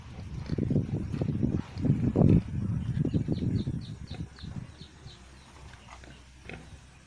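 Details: Native pig raised on a Philippine farm, producing a run of low, rough grunts in quick succession for about four seconds before fading out, with faint high chirping above.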